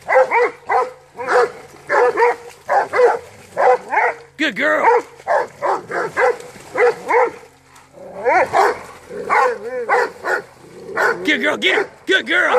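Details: Rhodesian Ridgeback on a hog hunt barking steadily over twelve seconds, sharp yelping barks in irregular clusters with brief pauses, pitch bending up and down; a voice says "good" at the end.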